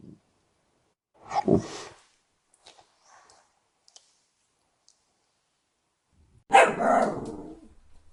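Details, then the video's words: Dachshund dog giving two separate barks several seconds apart, the first short and the second louder and longer, with a few faint clicks and taps in the quiet gap between them. "What does a Dachshund sound like?"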